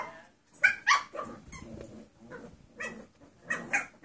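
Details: Mixed breed foster puppies, seven weeks old, trade quick high yaps with low rumbling growls, about four sounds a second, close up indoors.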